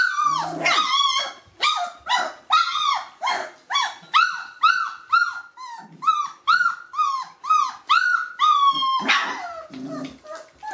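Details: Three-week-old Gordon Setter puppies calling: a rapid run of high, whiny yelps and squeals, about two per second, each with an arching rise and fall, ending in a longer drawn-out whine.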